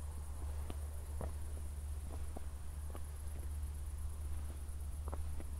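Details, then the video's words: After a recent thunderstorm near Zwettl, Austria, crickets chirp through the night in 24-bit stereo: a high, rapidly pulsing trill holds steady beneath scattered footsteps and a persistent low rumble, city lights in the distance. "ASMR Cricket Sounds"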